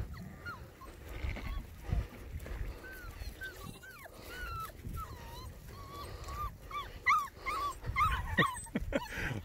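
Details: Six-week-old Border Collie puppies seeing livestock for the first time, giving many thin, high whimpers and short yips with sliding, wavering tones, bunching up toward the end, over steady background rustle and noise.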